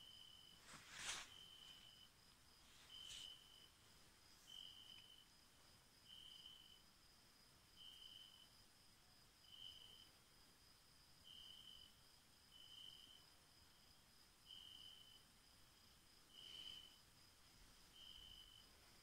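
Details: Crickets chirping at night under full moonlight on the Cilpirti highland pasture in Turkey: a clear, pure-toned chirp repeated about every one and a half seconds, with a few sharp clicks over quiet background.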